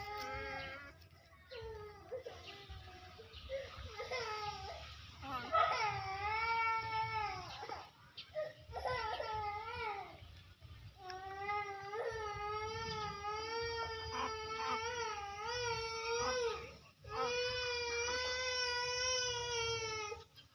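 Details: Pet monkeys, big ones greedily snatching from and hitting small ones; loud, wavering harmonic shrieks and cries come in quick succession, with longer sustained wailing screams in the second half over a low background hum.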